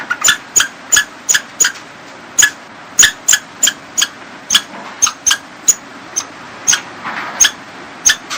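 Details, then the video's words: Squirrel calling with short, sharp squeaky notes repeated irregularly, roughly two to three each second, over a steady background hiss. "Squirrel sound"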